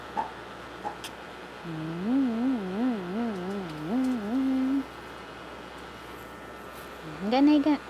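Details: Japanese Spitz named Buchog giving a wavering, sing-song howl that rises and falls in pitch for about three seconds, then a short rising whine near the end, with faint speech indoors.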